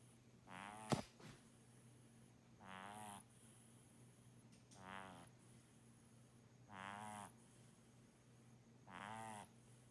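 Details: Pet kitten Muff snoring loudly while asleep, sounding like an old man. Five vibrating, harmonic snore breaths recur every two seconds or so, with a sharp knock near the start and a faint constant background hum.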